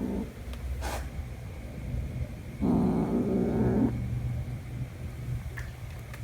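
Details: Domestic cats, young Jumper and his mother, meeting again after one month; a single low, gravelly growl of just over a second after a quiet stretch, with a few faint clicks and a constant hum.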